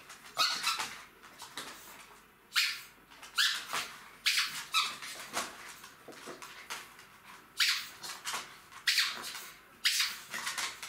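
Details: Three-month-old Jack Russell Terrier puppies at play with their mother, giving short, sharp yaps and scuffling bursts in quick irregular succession, several per second at times, with brief quiet gaps between flurries.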